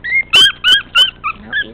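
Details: A spunky 13-ounce male teacup Chihuahua puppy lets out four loud, high, sharp whining yelps at a steady beat, followed by two quieter, softer whines.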